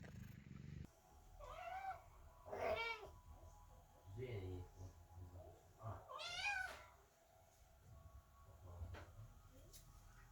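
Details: Kittens meowing loudly outside a door while their mother, the cat Chloe, gives birth; several drawn-out, wavering meows rise and fall, with a quieter low murmur between calls.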